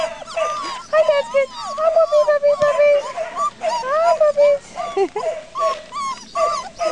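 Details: Litter of puppies four and five weeks old: many overlapping high whines and whimpers, wavering and sliding up and down, nearly continuous, with a person speaking in the background.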